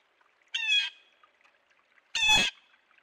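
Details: A beaver at its dam in central Alberta, caught on a trail camera, gives two nasal, whining cries about one and a half seconds apart, each lasting a third of a second, over a quiet background.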